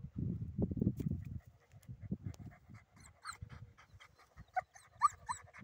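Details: A dog during retrieve training, held back and waiting before being sent for a dropped dumbbell, breathes in rapid low panting bursts, then gives thin high excited whines with soft background noise.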